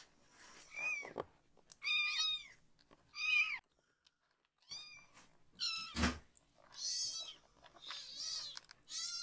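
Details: Foster kitten, a rescued baby cat, meowing loudly as its bottom is washed from the waist down; shrill arched cries repeated irregularly, a short quiet pause, then more wails with a thump and water handling sounds.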